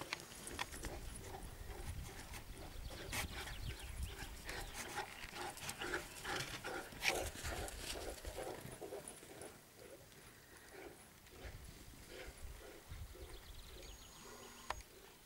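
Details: Two dogs, a Saint Bernard and an Alaskan Malamute of about 19 months, having fun playing; steady quick panting with grunts and rough huffing, busiest early on, then easing off and fading in the second half.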